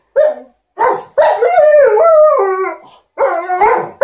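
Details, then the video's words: Short bout of "talk" from Liza, an Alaskan Malamute, and TJ, a Golden Retriever, performed for their owner during ironing: two clipped yelps, then a sustained wobbling howl that swoops up and down, ending in fresh sharp calls. "Alaskan Malamute and Golden Retriever are entertaining their hu-mum"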